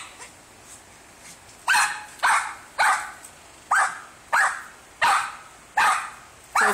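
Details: Sophia, a shorkie, barks after chasing a squirrel up a palm tree in Port Orange, Florida; after a quiet opening, sharp bright barks come in a steady run, about one every half second, seven in all.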